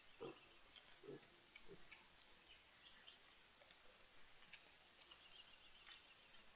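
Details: Wild boar with striped piglets (rayones), 18 May 2023, Spain: a few short, rough grunts, with faint bird chirps behind.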